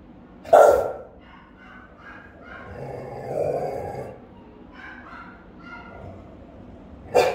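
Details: House-guarding Rottweiler, recorded by a camera at home: loud booming barks at the start and at the end, with softer muffled woofs and a low groan between.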